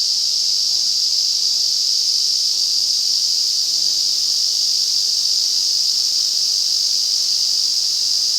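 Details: Summer forest at Afan Woodland in Shinano, Nagano, Japan, filled in August by a powerful Ezo cicada chorus, a continuous, loud, high-pitched buzzing wall of sound without pause.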